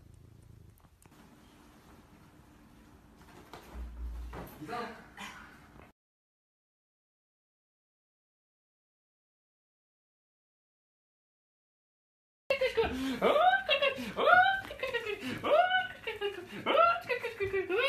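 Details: A Maine Coon cat (Felis catus) gives a quick run of rising-and-falling, chirpy meows after a quiet stretch.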